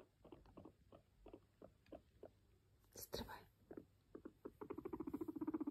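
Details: Guinea pig kept as a pet coming up to its owner: scattered short soft sounds and a sharp knock, followed by a steady, low, fast-pulsed purring rumble toward the end.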